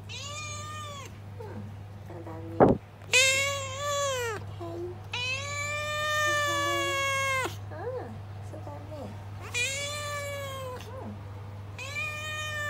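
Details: Long meows from a rescued house cat: four drawn-out, wavering calls of one to over two seconds each, some rising then falling, alternating with short replies from a woman's voice, a sharp tap, and constant low hum.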